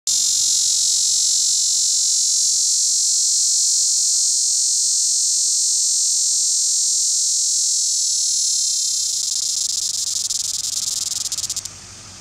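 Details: A male plains dog-day cicada (Tibicen auriferus) calls from a tree near Beaumont, Kansas, at 12:40 p.m. on September 6, 2011, an intense, continuous high hissing buzz like an electric shaver, steady for about eleven seconds, roughening slightly, then cutting off abruptly.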